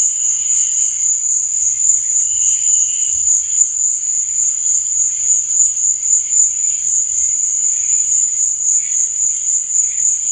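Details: Cricket song after dark: a constant, sharp high-pitched trill beating rapidly and regularly, over scattered fainter chirps from other crickets.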